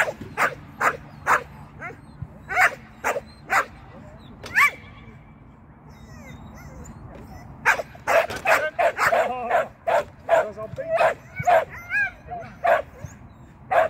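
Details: During agility training, Shetland sheepdog Sian barks in spaced single yaps. A quiet stretch with a short whine follows, then an excited run of rapid, overlapping barks, with a voice faintly in the background.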